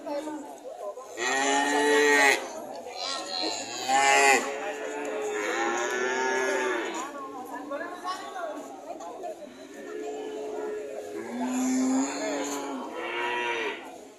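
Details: Cow moos, loud and strained, repeated about every two seconds. Some calls are short and others long and wavering, with faint voices underneath.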